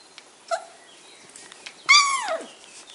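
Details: Flat-Coated Retriever puppies at a kennel in Rhône-Alpes, France; a single high, wavering whimper slides downward after a brief faint squeak, with quiet background.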